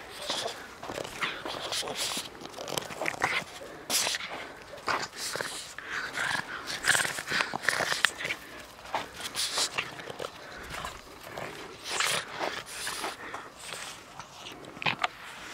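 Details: Chili, a pet dog, at play indoors: a rapid scatter of short, breathy snuffs and scuffling bursts, with a few brief whiny tones and a person's voice breaking in now and then.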